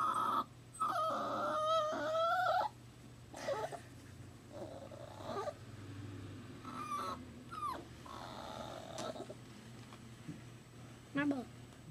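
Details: Crying new puppy that misses its mother, indoors at work: a loud, wavering whine lasting about two seconds opens the recording, followed by softer scattered whimpers and a short yelp near the end.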